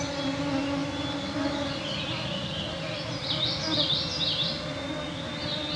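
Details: Clouds of mosquitoes make a steady, layered droning whine on a June summer evening at 9pm in the Canadian Shield, northwestern Ontario, with brief high bird twittering partway through; birds and frogs, including Veery and Gray Treefrog, were present.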